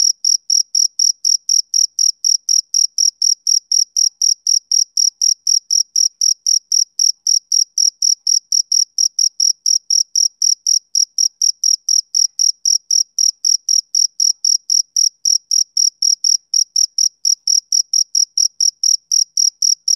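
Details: Male cricket calling on a summer evening: a steady train of high, shrill chirps, about four every second, evenly spaced and unbroken, with no other sounds.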